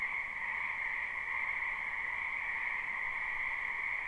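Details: Many frogs croaking in a spring wetland behind a house, recorded live without looping: a dense, unbroken chorus forming steady twin bands of mid and higher pitch, with no pauses and no other clear sounds.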